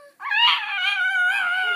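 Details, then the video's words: Almost 14-year-old female Pekingese agonizing over where to eat her treat gives one long, drawn-out, nasal whining moan that rises at first and then holds steady. "Talking Peke"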